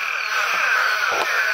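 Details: A dense night breeding chorus of many Eastern spadefoot toads in Apalachicola National Forest, north Florida, gathered to breed after a downpour. The nasal, groaning "bow, bow, bow" calls overlap in a steady wash without pause.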